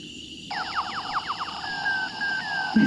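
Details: Southern yellow bat echolocation, captured with a bat detector app that identified the species and converted the sound down to human hearing, likened to little space guns. Quick falling sweeps repeat about ten times a second, then give way to longer, flatter tones.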